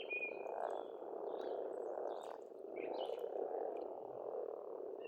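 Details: Spring frog chorus at an Estonian pond: steady overlapping croaks merge into a continuous hum, swelling and easing slightly, while a few birds add brief high whistles and chirps.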